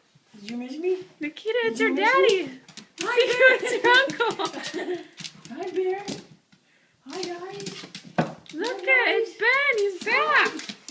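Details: Husky indoors greeting its owner, a Marine returning home on 24 December 2012: a run of loud, arched, talking-like howls and whines rising and falling in pitch, in several bursts with brief pauses between them, a woman speaking nearby.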